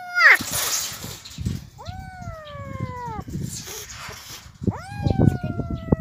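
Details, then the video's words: Hungry abandoned kittens crying from starvation, found by the roadside. Several drawn-out meows that sweep up sharply and then sag slowly, separated by gaps, over steady rustling and background noise. "Abandoned kittens crying because of starvation | gutom talaga ang mga pusa"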